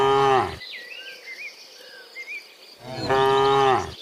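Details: Cows returning in the morning from the field to the pen give long, harmonically rich moos, one at the start and another near the end.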